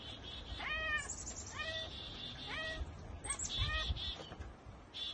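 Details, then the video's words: Domestic cat chattering at a bird or insect it cannot reach: rapid stuttering 'ekekeke' bursts with stacked harmonics, about four short runs spaced roughly a second apart, over a low background rumble. "Cats Ekekekeke Compilation - Cats chattering at birds!"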